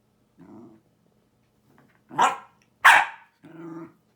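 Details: Lusya, a Jack Russell Terrier, vocalizes after sneezing, as if answering with a dog-language 'thank you': a soft low grumble, two sharp yelping barks, then another low moaning growl, all indoors.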